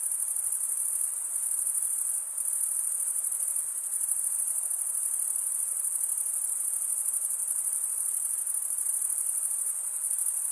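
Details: Crickets sing a dense, continuous high trill, produced by the comb-like teeth of one wing scraped by the other. One brief dip occurs near two seconds, and otherwise the droning chorus stays level with no other sounds.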